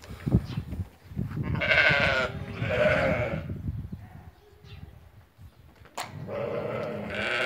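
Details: Ewes that have lambed, a flock of about eighty offered for sale at market in Fquih Ben Salah, giving harsh, wavering bleats in bursts of one to two seconds, with shuffling and a sharp knock in between.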